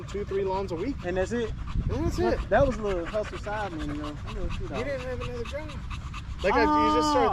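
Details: Evening park session with male Staffordshire Bull Terriers in a group chat: quick bursts of bending, whiny yowls and moans, ending in a longer sustained howl-like note, over panting and steady low outdoor noise.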